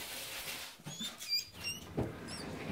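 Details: Newborn Yorkshire Terrier puppies squeak during a Yorkie's delivery at a Michigan breeder: a few thin, high, wavering squeals arrive in short bursts over a soft rustling background.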